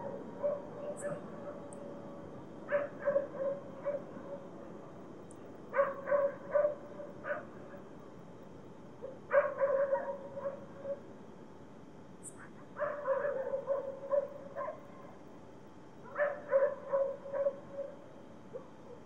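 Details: Dogs barking in the distance at night in a city: clusters of several sharp barks come every three to four seconds over a steady low drone from an airplane flying above.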